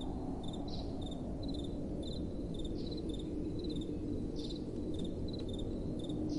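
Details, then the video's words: Night-time crickets give bright, clipped chirp pairs at a quick, even pace, a little above a constant low roar of gentle wind blowing. "Relaxing Night Time Sounds | Crickets & Soft Wind"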